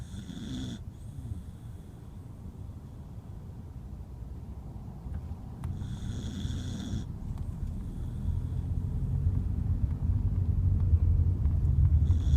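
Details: Welsh Corgi Kotaro, worn out from play, sleeping soundly inside his crate: a low, rumbling snore in steady breaths, growing louder toward the end, with short bursts of a high hiss now and then.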